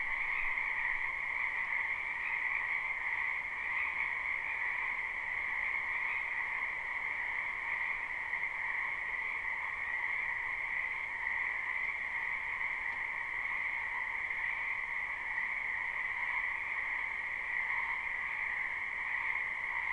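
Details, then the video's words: Frogs croaking at night-long pace in a spring wetland behind a home, recorded live without looping: a dense, unbroken chorus of high trilling calls forming two steady layered tones, softer and evenly sustained throughout, with no other clear sounds. "Ambient Noise for Sleep Frogs Black Screen"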